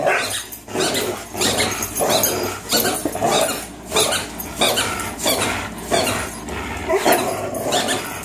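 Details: Play growls from Fox, a 3-year-old Greyhound, and Miles, a 3-year-old German Shorthaired Pointer, during tug of war: harsh rasping pulses, roughly one and a half per second, continuing without pause.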